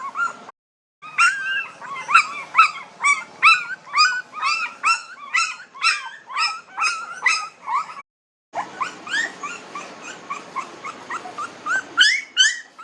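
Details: Nineteen-day-old puppies keep up a busy chorus of high squealing whimpers and yips, close to two per second, interrupted by two brief silent breaks.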